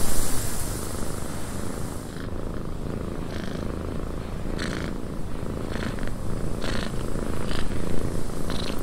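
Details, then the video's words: A cat purrs continuously inside a windy cabin, a low rough rumble rising and falling with each breath, punctuated by regular airy bursts, with steady wind noise throughout. "Cat Purring in a Windy Cabin"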